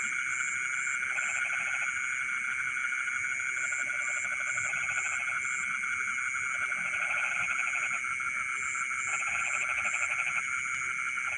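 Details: Frogs singing in rice fields in the middle of the night; bursts of rapid, pulsed croaking lasting about a second recur every few seconds over a steady, shrill insect drone and a higher intermittent chirping.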